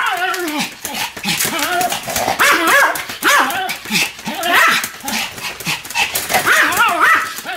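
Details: Two Pomeranian dogs barking together in a duet: rapid, high, yappy barks with bright overtones, overlapping and rising and falling in pitch, coming in quick bursts with almost no pauses.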